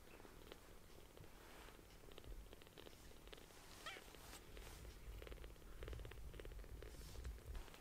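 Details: Tiny palm-sized kittens, newly rescued, purring loudly while being affectionate and sucking on fingers; a steady low rumbling purr runs throughout in pulsing waves, with faint soft clicks and rustling on top.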